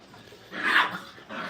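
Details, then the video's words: Brittany puppies, five weeks old, playing and tearing at the flooring indoors during crate training: a sharp, fairly loud yelp followed by a shorter, softer second yip, with light room noise. "Puppy crate 5 weeks"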